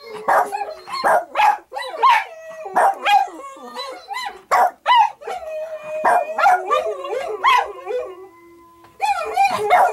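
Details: Payton the dog howling along to other howling dogs playing on a screen; wavering, sliding howls broken by short yips and barks, several overlapping voices, with a steady tone from the playback underneath.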